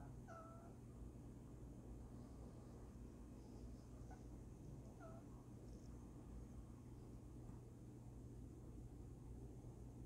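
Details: A sleeping female domestic cat gives two soft, brief squeaky chirps, weird noises in her slumber, over a steady low hum.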